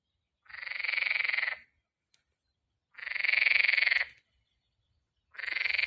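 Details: Frog calling in spring: three harsh, buzzy, pulsed croaks, each lasting about a second, separated by roughly two-second pauses in an otherwise quiet setting.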